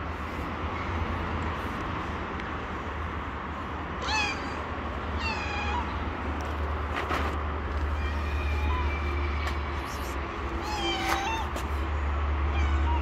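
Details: Stray domestic cat living on the street, gently meowing while approaching and asking for food; a few short bending meows at irregular intervals of several seconds, over a steady low rumble of traffic and street noise.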